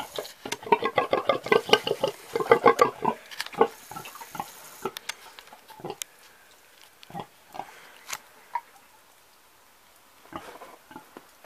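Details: Old pig grunting in a rapid, dense string of short nasal grunts for the first three seconds, then slowing to scattered single grunts with long pauses, with a few faint snorts near the end.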